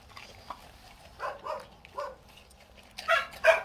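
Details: Korean Jindo dogs, a father and daughter, waiting outside a door for dried pollock skin snacks in a rural Korean village; short whining yips and soft vocal bursts, a few in quick succession, ending in two louder yelps.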